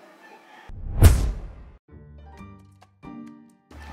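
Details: Background music with a loud thump and a few low knocks, with no animal sound.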